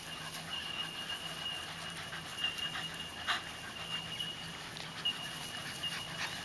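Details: Seven-week-old puppies playing with adult dogs, heard as quick breathy panting bursts and soft scuffling, irregular through the recording, over a steady faint electrical hum.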